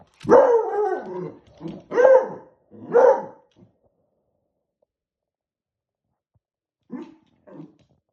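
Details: Barking Beagle puppy confronting a balloon: a quick run of four loud, rough barks with falling pitch in the first four seconds, then silence and two soft, short yips near the end.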